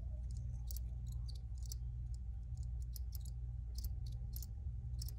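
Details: Several crickets chirp in short, high, scattered bursts that overlap at uneven intervals, with a steady low rumbling hum beneath throughout.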